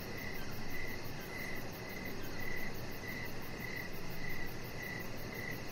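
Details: Outdoor evening cricket song near a deck: regular high chirps, nine in under six seconds, layered over a quicker faint high pulsing and a continuous low rumble.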